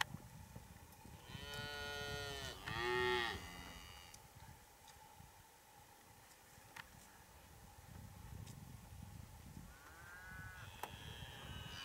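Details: Big Hereford bull courting and mating cows in breeding season; a loud drawn-out moo around two to three seconds in, then a fainter moo near the end, with steady background noise between.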